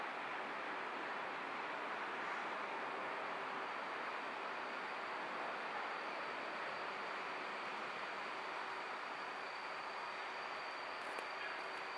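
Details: Steady broadband rushing noise, like distant traffic or a passing train, with no animal voice standing out.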